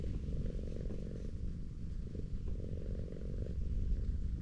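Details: Tortoiseshell cat sprawled on a slope, being petted, gives a low rhythmic purr with slight swells in strength, steady and continuous.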